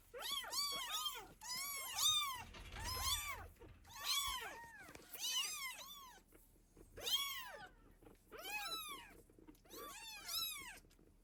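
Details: Domestic cat family, a mother protecting and feeding her kittens indoors; steady high-pitched meowing, clusters of bright arched calls overlapping and repeating roughly every second, with a soft low thump near the start.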